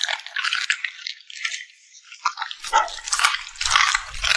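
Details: A cute puppy smacks its lips while eating: dense wet clicks and crackles in quick bursts, about two a second, with a short pause midway and soft low thumps near the end.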